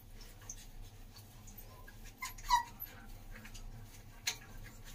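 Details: Doberman Pinscher puppies: one gives a brief, high whimpering yelp that slides downward in pitch, then a faint squeak follows; soft rustling and a low steady hum fill the background.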